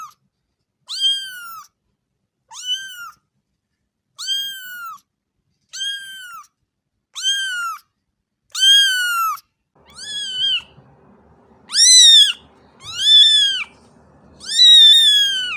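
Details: Kitten repeating short arched meows roughly every one to one and a half seconds, growing louder and longer toward the end, with a faint low rumble under the later calls.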